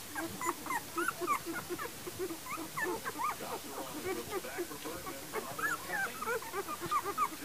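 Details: Litter of young puppies born January 28, 2012, whimpering and squeaking together; many overlapping high, thin, wavering whines and yips in quick succession, with steady background noise.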